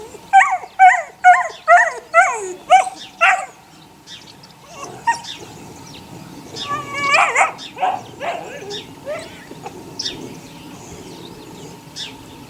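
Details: Eight-week-old puppies of the neighbour's dog Sunny, six in the litter: a quick series of about seven sharp high yelps roughly every half second, followed by scattered whines and softer yips.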